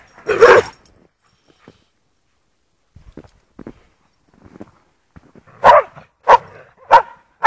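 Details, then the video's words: Lurchers enjoying the snow at Priory Marina in Bedford; one loud harsh bark opens, followed by a few soft scattered sounds, then four sharp barks roughly every 0.6 seconds near the end. "snow lurchers"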